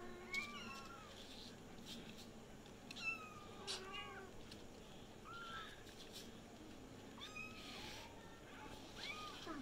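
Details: Kittens all calling at the same time: a steady chorus of short, falling mews overlapping one another, some thin and high, with a soft constant background rumble.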